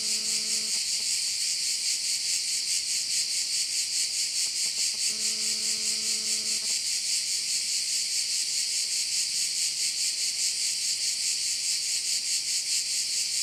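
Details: High, unbroken cricket buzzing from a Korčula bay in Croatia, pulsing rhythmically roughly twice each second. A low droning tone with overtones appears briefly at the opening and again for a short stretch around the middle.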